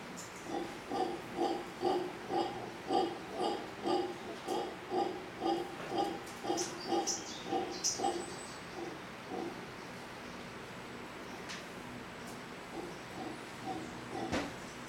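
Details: Howler monkey family in big trees across from a hotel in Manzanillo, Costa Rica: a run of rapid deep, rasping grunts for about nine seconds that then fades out, with faint high bird chirps scattered throughout.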